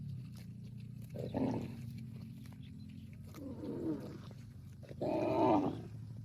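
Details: Cow mooing as it calls its extended family: three separate moos at roughly two-second intervals over a steady low drone, the last one loudest and longest.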